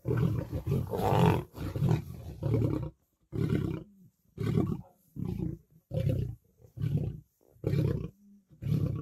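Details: Lions, lionesses and cubs fighting over food at a kill. A rapid run of harsh, rasping growling bursts, about one per second, with loud overlapping snarls at the start.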